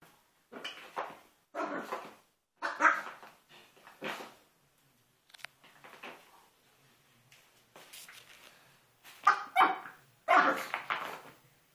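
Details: Melo, a five-month-old Pomeranian, going wild and attacking a carpet indoors; short, sharp bark bursts come in quick clusters, pause, then return as a louder run of yaps near the end, in a small room.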